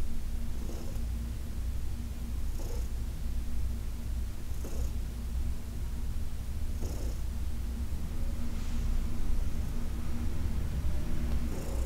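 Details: Senior cat Heidi purring under massage, a deep steady drone with rhythmic inhale-exhale pulses roughly every two seconds, faint rubbing sounds in the background.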